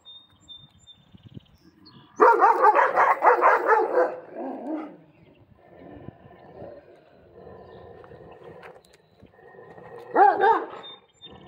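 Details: Central Asian Shepherd Dogs fence fighting: a burst of loud, rough, rapid barking and snarling around two seconds in, quieter growling after, then another short loud bark near the end, with a woman telling them to stop.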